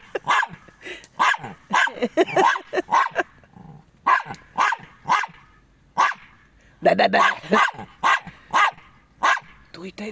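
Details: Jack Russell Terriers Treisy and Azzuro, barking repeatedly in a home, a long run of sharp barks in bursts over ten seconds, mixed with a woman talking to the dogs.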